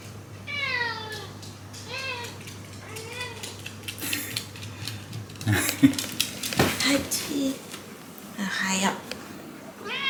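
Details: Complaining Shiba Inu in a household bathtub, which it dislikes; a run of four short, bending whines in quick succession, then splashing water, human speech and a few more whimpers.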